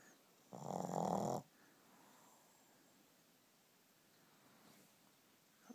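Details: Shih Tzu asleep, recorded 19 November 2012: a single loud, harsh snoring inhalation lasting nearly a second, rough and buzzy with a rich low drone, then near silence with faint background hiss.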